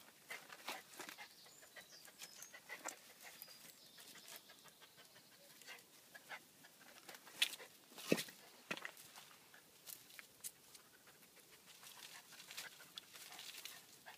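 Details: Male toy poodle searching for a hidden 20 pound note, sniffing and panting in quick, irregular broadband bursts, roughly 80 to 90 a minute, with a few louder snorts near the middle.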